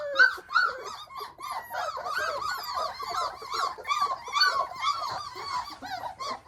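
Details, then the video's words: Hovawart puppies out on an open deck for the first time, exploring; a chorus of high squeaky yelps and whines repeated rapidly, several pups overlapping. "Hovawart puppies out on the deck for the first time."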